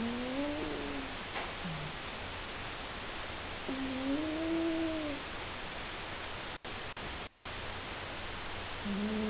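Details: Sleeping male house cat named Seven snoring loudly. Several nasal, whistling, tonal snores, each about a second long, rise and fall over a constant hissing background, and a couple of brief dropouts break the sound.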